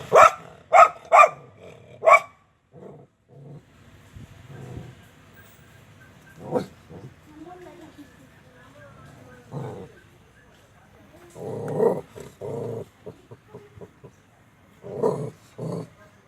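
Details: Dog barking four times in a fast burst, each bark sharp and loud, followed by quieter grunts, snuffles and a few scattered softer barks and whines with pauses between them.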